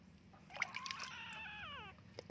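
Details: Kitten full of fleas crying during a bath: one long, wavering meow lasting over a second, bending upward then sliding down, over a low hum of running water.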